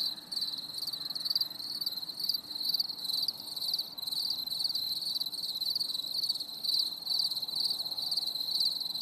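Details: On a stormy summer evening, crickets keep up a shrill, buzzy trill broken into rapid pulses roughly twice per second, uneven in rhythm, with a faint low hum beneath.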